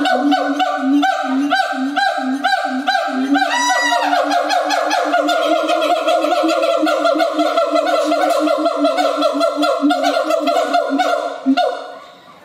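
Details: Siamang (Symphalangus syndactylus), call.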